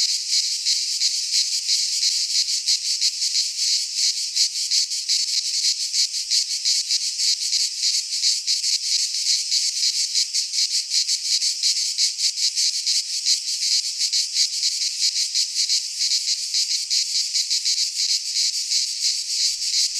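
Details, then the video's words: Greek pine forest cicadas in midsummer, their song a relentless, sizzling high-pitched buzz with rapid pulsing, about three beats a second, holding steady for the whole stretch. "Cicadas singing in midsummer - Nature sounds from the Greek fauna - Sounds of cicadas"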